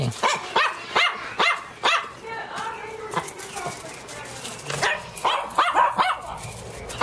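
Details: Pinscher named Teco barking and yelping loudly in a burst of sharp, high barks, with short pauses and some human voice mixed in.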